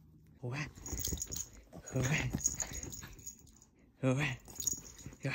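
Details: A Chihuahua gives harsh, raspy vocal bursts with stacked overtones, one near the start and another about four seconds later. A person talks in between in a small indoor room.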